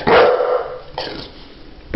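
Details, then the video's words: Pet dog 'talking' with its owner: a loud, brief tonal yowl opens the moment, a softer cry follows about a second later, and another starts just at the end. "Funny dogs talking to owners"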